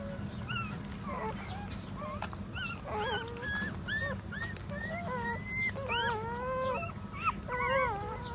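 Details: A litter of puppies feeding from their mother as she stands, whining in bent, rising and falling cries, some stretched into longer level wails, overlapping one another over a low background hum.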